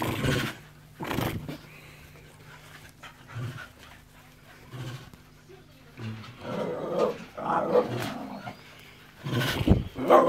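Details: Enzo and Ozzy, dogs, give rough broadband barks and growling bursts in scattered clusters, with low hum and some human voices in between.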